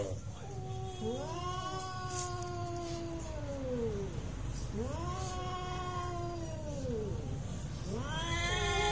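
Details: Cats fighting for real, giving long arching yowls that each rise, hold and fall over two to three seconds, repeated three times with short gaps, and a low constant hum underneath.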